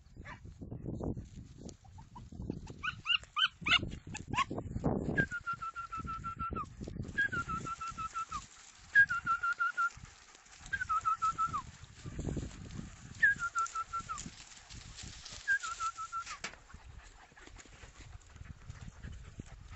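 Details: Segugio Italiano hound producing a series of drawn-out, steady baying notes, each about a second long and falling slightly at the end, repeated every two seconds or so over rustling background noise.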